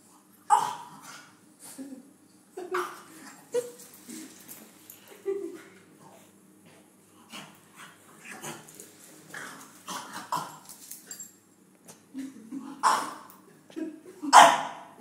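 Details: Pipacs, a longhaired vizsla, at the vet's, gives sharp, loud barks scattered through the recording, near the start and again late, with softer whining and whimpering notes in between in a quiet indoor room.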